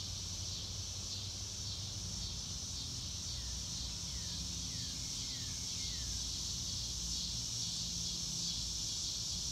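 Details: Crickets trilling outdoors on a clear blue-sky day, recorded in real time with no music: a steady, high, shimmering drone fills the air, with a few faint short downward chirps midway and a low rumbling hum beneath.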